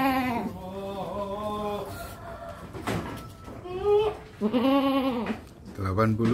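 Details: Adult male Qurban goat, 80 cm in body height, bleating in several quavering, drawn-out cries with rich harmonics. Music and people talking are heard around the calls.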